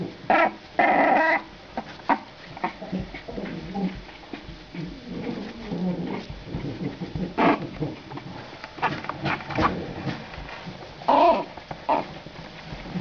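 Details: Two 27-day-old female French Bulldog puppies, born 23 December 2011 to Weiss dell'Oldoinyo Lengai and Gino, at their first play: bursts of short harsh growls and whimpering yips, loudest near the start and again around eleven seconds, with scuffling indoors.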